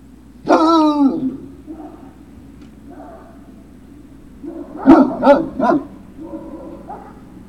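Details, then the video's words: A Great Dane puppy at Puppy Hill, recorded 03-06-2019 in the afternoon, gives a loud, sharp yelp that falls in pitch. After a quieter stretch comes a cluster of three quick, bright yips, then softer whines. "Great Danes Puppy"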